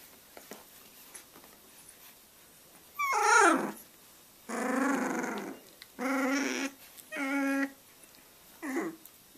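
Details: Young Boxer puppies, three weeks old, starting to play together inside: after a quiet start, five strained, whining growls and yips about a second long, the first sliding downward, spaced roughly a second apart.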